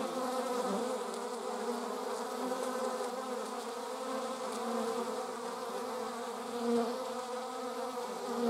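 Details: Bee buzzing among wasps and bees, filmed 26 July 2019: a steady, droning hum with a low fundamental and many stacked overtones, swelling slightly near the end, with no other clear sounds.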